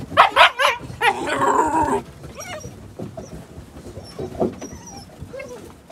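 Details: Nine-week-old Gerberian Shepsky puppies, five left of a litter of eleven, playing outdoors on a sunny, brisk winter day; a quick burst of three sharp, high yaps, then a drawn-out whiny yelp, later scattered whimpers and a single yip over rustling.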